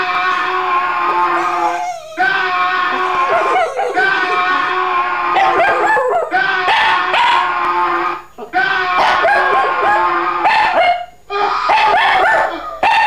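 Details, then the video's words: Pet dog howling to sound effects: drawn-out, wavering cries with bending pitch, repeated in long stretches separated by brief breaks, mixed with clicks and other overlapping tones. "Funny Dog howling to sound effects"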